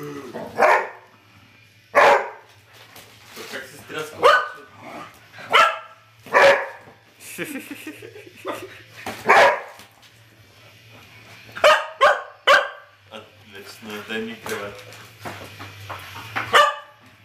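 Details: Dogs Terry and Trixie squaring off in a noisy barking match: sharp, broad bursts of barks arriving every one to two seconds over about seventeen seconds, with a person talking in Bulgarian between them and a low hum underneath.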